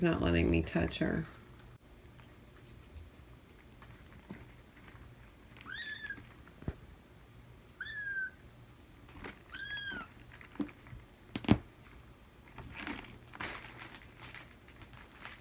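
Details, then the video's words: Feral kittens in a family being socialized indoors scream loudly one morning, which brings their mother Mia to check on them. A few separate high, thin, rising-then-falling cries stand out over a quiet room hum, with a brief burst of other noise at the start. "Mom Checks On Her Screaming Babies"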